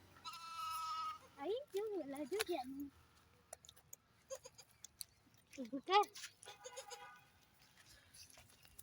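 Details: Goats on a goat farm, mini goats with a baby goat: several loud, quavering bleats with a shaky wobble in pitch, one long bleat and a shorter one a few seconds later, with people talking nearby.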